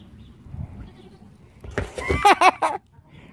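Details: Young goat kids bleating: after quiet, a burst of wavering, pulsed bleats with rich harmonics runs for about a second, rising then falling in pitch, before fading out.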